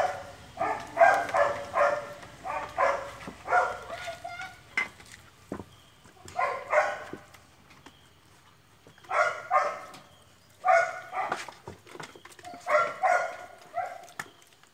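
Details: German Shepherd puppies crying in clusters of short, high, whining yelps, several in quick succession, then brief quiet gaps before the next burst; faint background murmur.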